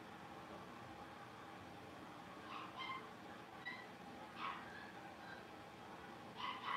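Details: Five blenheim Cavalier King Charles Spaniel puppies, New Year's litter, at play in their pen at Red Barn Cavaliers. Quick high-pitched yelps and small barks arrive every second or so, a few with squeaky tonal edges, over low steady hum.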